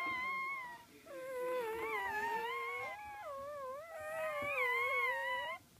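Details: Small puppies whining: long, wavering, tonal cries that rise and fall, in two sustained bouts of several seconds with a short gap between them and bright harmonics above.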